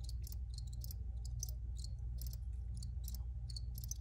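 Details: Rapid, uneven series of shrill cricket chirps from several insects, about two bursts a second, layered over a continuous low-frequency hum.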